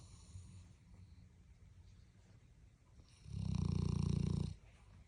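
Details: Dog snoring as usual indoors: a quiet, low background hum, then one loud, deep, rattling snore lasting over a second with fast pulsing vibration, fading back to quiet.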